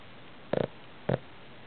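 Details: A 9-month-old Boston Terrier snores in two short, rough, rattling snorts about half a second apart.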